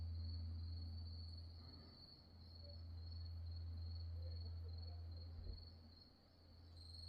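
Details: After dark at Wonhyosa, a mountain temple on Mudeungsan, in October 2024, grass insects keep up one continuous high-pitched trill. Beneath it a heavy low drone rises and falls gently, with a faint brief knock near the end.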